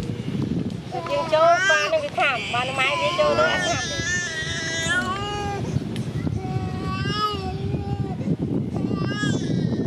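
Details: Baby monkey crying without its mother: high, wavering, whining cries with strong overtones, rising and falling in quick bursts, over a steady rumble of road traffic and outdoor street noise.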